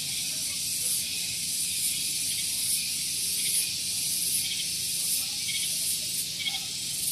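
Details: Morning cicadas on Gunung Geulis in Bogor, West Java, close to a parking area, fill the air with a shrill unbroken hiss that pulses softly about once a second.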